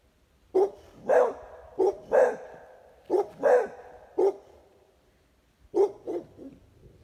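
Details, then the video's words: A Pitbull and a Beagle–Basset Hound mix barking: about eleven sharp, throaty barks in uneven clusters of two or three, separated by short pauses, with a quiet gap before a final trio of softer barks. "Pitbull and Beagle (Basset Hound mix) barking"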